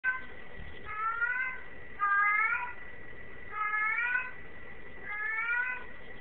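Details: Male domestic cat in heat, crying indoors: four drawn-out, rising, harmonic meows, each under a second long and spaced about every 1.3 seconds, over a steady background hum.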